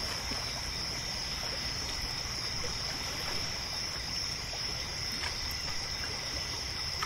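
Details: Lakeside crickets calling after dark make a continuous thin, high trill over a bed of quiet lapping water, with a few faint taps.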